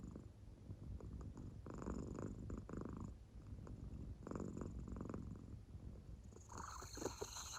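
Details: Soundly asleep American Shorthair cat indoors, purring in its sleep; low rumbling breaths come in slow waves, and a brief higher rustle is heard near the end.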